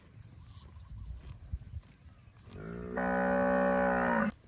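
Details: One of a herd of fat, healthy village cattle wandering the rice fields lets out a steady, sustained moo lasting about a second and a half after quiet moments filled with high bird chirps.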